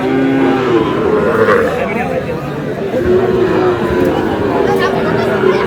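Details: Sahiwal cattle, bull calves in Chuadanga, 4 July: short and long moos from more than one animal, flat sustained tones repeated every second or so, with human voices and general crowd din throughout.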